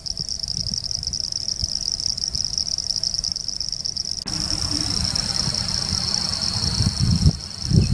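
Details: Pseudopaludicola falcipes and Elachistocleis bicolor frogs calling near Laguna Garzón, Maldonado, Uruguay, in December 2019: a continuous shrill buzzing drone, with heavy low rumbling and thumping, likely wind or handling, growing louder in the second half.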